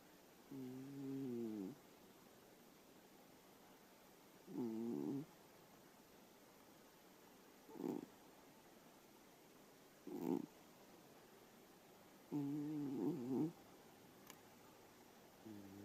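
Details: Sleeping elderly cat giving a series of low, buzzy snores, some long and wavering, others short and clipped. They recur every two to three seconds, with faint soft clicks in between.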